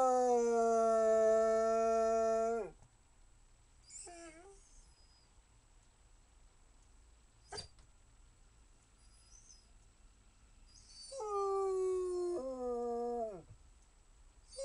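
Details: Basset Hound giving a sustained tonal howl for over two seconds that drops at the end, a few faint whines and a click in the quiet middle, then another wavering howl sliding downward.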